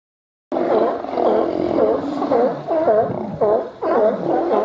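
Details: Sea lions in Cowichan Bay, British Columbia, gathered in autumn to feast on spawning salmon, one gulping down a huge salmon; after a brief silence, hoarse honking barks begin and repeat nearly twice a second, overlapping in a noisy chorus.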